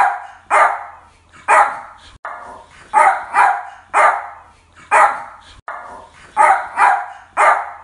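A Yorkshire Terrier gives sharp, high-pitched yappy barks, singly and in quick pairs.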